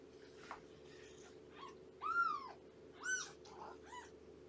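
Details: Cat sounds indoors at a foster home with Shelby, a young rescued mother cat, and her nursing kittens. Two clear, high, arched mews a second apart stand out, with softer scattered squeaks and a constant background hum.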